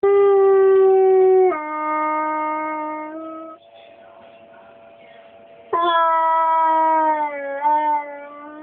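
A dog howls in long, steady, tuneful notes that step down in pitch, pause, then rise again.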